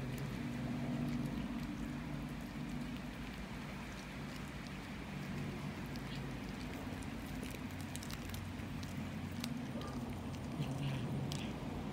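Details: Steady rain-like patter over a rumbling vehicle-style background with a low hum, and no animal voice anywhere.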